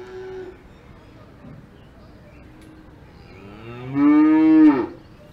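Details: Alpine farm cow giving a single loud, deep moo lasting under a second, rich in harmonics and falling slightly at the end, after several seconds of quiet background with faint distant lowing.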